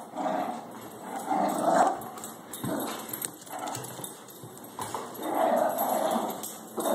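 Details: Two pet dogs, Baxter the Shih Tzu and Harley the Labrador, tussle late at night over the same toy; rough, rumbling growls swell and fade in bursts of about a second, with short gaps between.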